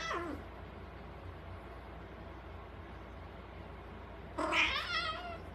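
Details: Cat howling: a fading wail at the start, then a long quiet stretch of background hum, followed by a loud wavering yowl that drops away near the end.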